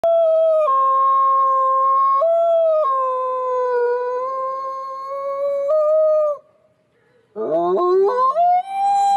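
A wolf gives long, steady howls that dip and lift slightly, followed by a rising, wavering howl.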